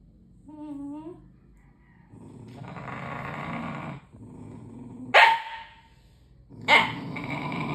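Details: Puppy indoors in Indonesia, November 2023, one of two dogs named Alfenlibe and Ody, growling at its own reflection during play: a short whine, a rough low growl lasting two seconds, then two sharp loud barks with growling between.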